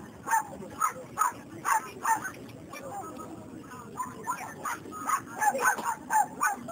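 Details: Short, bright barks and yips come in a steady series, several per second at times, from a male Chinese Crested Dog at the CACIB show in Moletai, Lithuania, 23 May 2014. Voices murmur underneath throughout.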